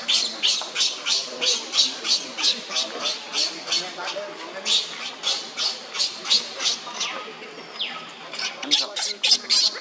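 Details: Young monkey Leo crying on the ground while another monkey, Libby, torments him; harsh, high screeching cries pulse about three times a second without pause, with a brief thin whistle-like slide near the end.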